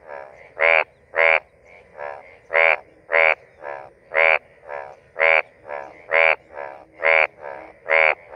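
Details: A male Indian bullfrog (Hoplobatrachus tigerinus) near Rajaji National Park, India, gives loud, harsh mating croaks in a steady series, with fainter frogs calling between them.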